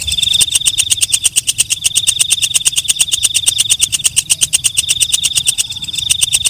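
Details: A walang kecek, or night katydid, stridulating in a long even run of quick crisp ticks over a persistent high metallic hum. Quiet background.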